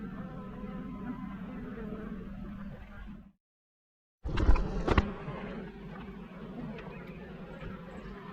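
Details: Honey bee swarm clustered on a fence, about to be collected by a beekeeper: a steady low droning hum with layered overtones runs unbroken, cuts out for about a second, then resumes with a few sharp knocks and handling noises.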